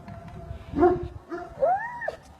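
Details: Aksaray Malaklısı dog on a farm, making high tonal whines and yelps that rise and arc between roughly mid and upper pitch, with a short bark-like burst, over a low background rumble.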